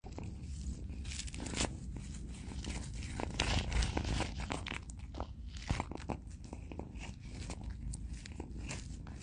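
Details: A cat eating food, with irregular crunching chews coming about two to three times a second over a low background rumble.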